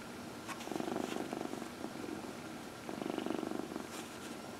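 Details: Domestic cat purring while massaged, among four pets indoors; two breathy purr bursts with a fast rattling pulse, a few light clicks of handling, faint room hum.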